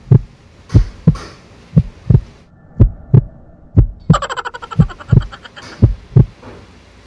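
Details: Deep rhythmic thumps repeat roughly every half second like a heartbeat, joined midway by a short buzzing tonal burst, with no animal voice heard.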